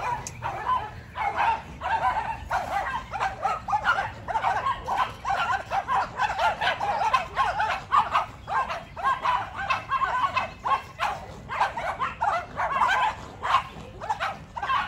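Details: Macy, a Yorkie, in a barking battle with the neighbour's two dogs: dense, steady volleys of sharp mid-pitched barks, several per second, run through the whole stretch with barely a pause.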